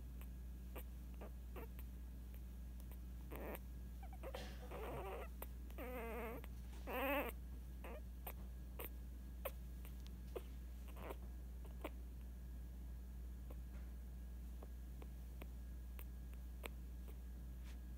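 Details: Female Scottish Terrier puppy, only eight days old, giving a short cluster of thin, wavering squeaks and whimpers about midway through, each with a quivering rise and fall, then near silence over a steady low hum.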